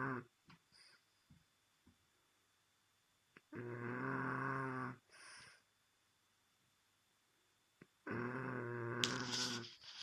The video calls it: Snoring French Bulldog - Fransk bulldog som snorker